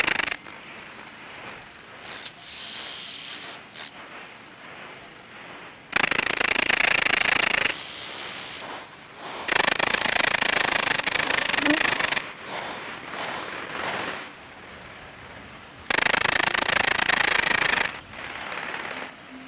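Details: Small Alpine Bush-cricket, Anonconotus alpinus, in Boltigen, Switzerland, on 6 September 2023, giving buzzy broadband bursts of two to five seconds with quieter rapid ticking between them.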